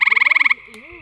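A gray treefrog gives a short, musical pulsed trill, followed by a faint human voice.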